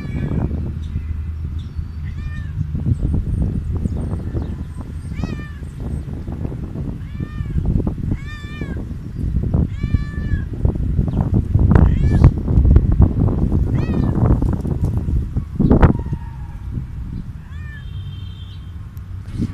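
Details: Stray cat meowing loudly for food, a steady run of repeated harmonic meows roughly every second, rising and falling, amid heavy low-frequency rumble and bumping noises.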